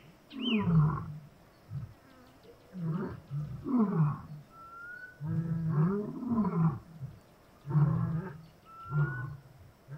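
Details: Roaring lion, Kgalagadi Transfrontier Park: powerful deep groaning bursts, several in a row, swelling and fading with gaps between, a brief high descending bird note at the start and a soft rising whistle later.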